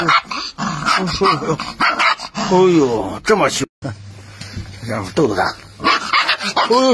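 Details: Angry Rottweiler puppy in an aggressive display, giving bursts of shrill barks with growly undertones. There is a brief gap partway through, and a man talks and exclaims over the barking throughout.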